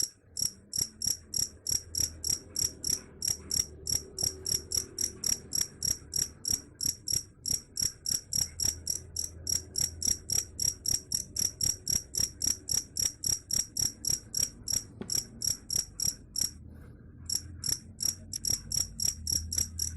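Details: Long run of fast, shrill cricket chirps, about three and a half each second, briefly breaking off near the end before continuing, over a low steady rumble.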